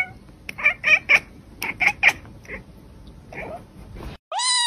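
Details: Domestic cats in a compilation of funny pet moments: a series of short, high harmonic meows in quick bursts of three, then fainter cries, ending in a sharp rising electronic-sounding tone.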